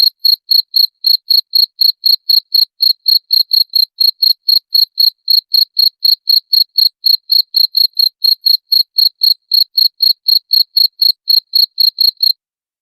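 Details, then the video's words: Cricket chirping, presented as a sound to repel rats: clean, loud, evenly spaced high-pitched pulses, about four per second, continuing steadily throughout with no other sounds. "SUARA JANGKRIK PENGUSIR TIKUS"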